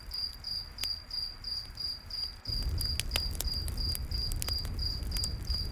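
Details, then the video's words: High, regular cricket chirping, about three pulses a second, carries through a nighttime forest, joined by loud popping crackles of a campfire whose low roar swells partway through. "Campfire In The Night Forest w/ Cricket Sounds"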